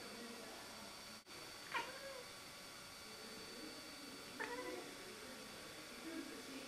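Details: Rudy the Siamese cat fussing over a rook in a tree across the road: two clear meows, each starting high and sliding down, spaced about two and a half seconds apart over a faint hum.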